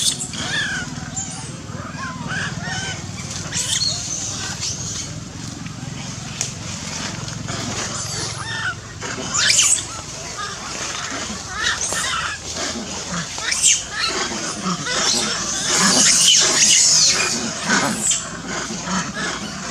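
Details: Big monkeys give harsh, honking squeals and chatters that overlap throughout, sounds that scare a baby loris into running to find its mother.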